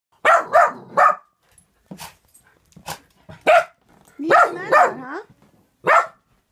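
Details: Norwegian Elkhound and German Spitz Mittel dogs wary of balloons, giving a rapid run of three sharp barks, then scattered single barks and a closing volley of ragged, yelping barks, with short silences between.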